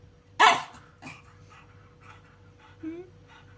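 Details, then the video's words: Pug dog, said to be seeing ghosts, gives one short, loud, harsh bark followed by a fainter yelp and a soft rising whine, against a quiet indoor background with a steady low hum. "Mopsas mato vaiduoklius/ pug seeing ghosts/ pug funny sounds"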